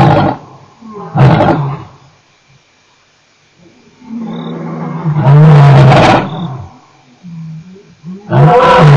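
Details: A male lion recorded at Nkorho on 29 September 2008 gives powerful rumbling roars, one long swelling bellow in the middle flanked by shorter bursts, with softer throaty breaths between them.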